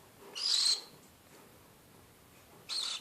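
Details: A pet animal making screeching sounds: a harsh, hissing screech lasting about half a second, then quiet, then the start of another screech at the end, in a quiet indoor setting.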